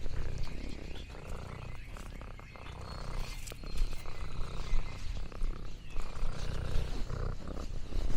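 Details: Low throbbing purr from Lexi the orange tabby cat outdoors on a farm, under a busier background of rustling and thin high whistled tones, possibly birds, rising and falling in loudness.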